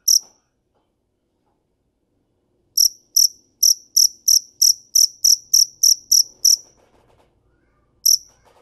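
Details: Cricket chirping: a single high pulse, over two seconds of silence, then a burst of about twelve sharp chirps, another pause with faint background clatter, and one final chirp.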